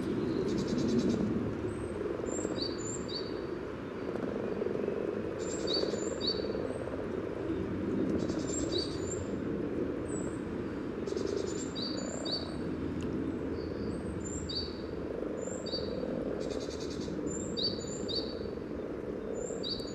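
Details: Common frogs calling at a spawning site by the yellow trail in Sunnersta, Uppsala, recorded just above the water with a Telinga parabola and Olympus LS14; a continuous low purring murmur fills the clip while high bird chirps repeat overhead.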